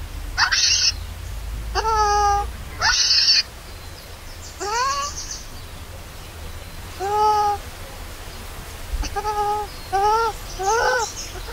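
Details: Baby monkey crying loudly after its mother leaves it alone, hungry for milk: intermittent plaintive tonal wails alternating with brief piercing screeches, roughly ten cries separated by short pauses, with a constant low hiss behind.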